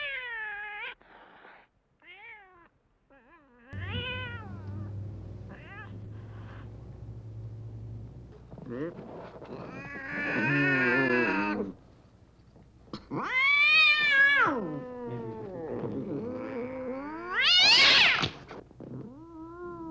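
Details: Meowing domestic cat, used as a sound to attract other cats: short, faint mews at first, then louder, rising-and-falling meows, ending in a shrill, high-pitched cry over a low steady hum.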